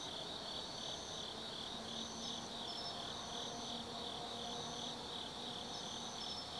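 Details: Autumn insects chirring at night in the Tsukimi no Mori forest, Kaizu, Gifu, Japan, beside a lookout 180 m above the Nobi Plain; a dense continuous high trill with a pulsing band above it and faint low hum beneath.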